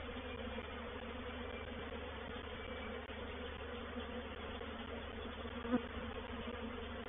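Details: Reproductive swarm of honey bees moving into a bait hive (swarm trap) at Painted Peacock Manor, 04/07/21: a steady, dense low hum with layered droning tones, even throughout, with one brief tap near the end.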